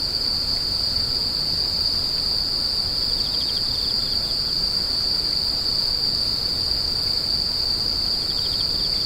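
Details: Insects screeching in the grass: an even, sustained high trill with two patches of quick pulsing chirps from other callers, over faint low-frequency rumble.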